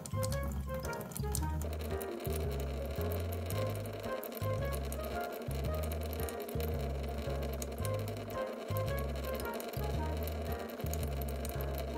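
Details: Soft background music with a steady low bass pattern plays indoors, with no animal voice heard.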